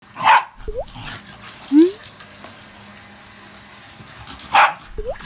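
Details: Shiba Inu indoors reacting with displeasure to a running vacuum cleaner; short rising whines and yelps, a couple of sharp louder bursts near the start and end, over steady background hum.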